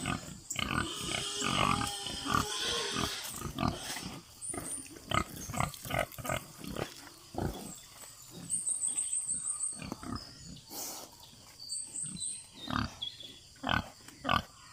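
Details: Pigs oinking on a free-range farm, a dense cluster of grunts at first, then spaced snorts about every half second, while small birds chirp and trill high above.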